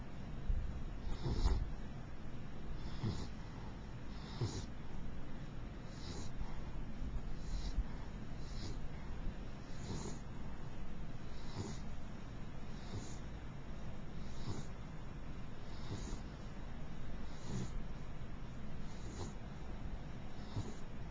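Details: Sleeping mixed beagle named Princess snoring, with gentle wheezy breaths recurring roughly every one and a half seconds against a constant low-pitched hum.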